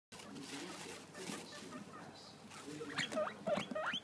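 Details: Pet guinea pig begging for grass: after a stretch of rustling and shuffling, a quick series of short, sharp rising squeaks bursts out near the end, three or four in under a second.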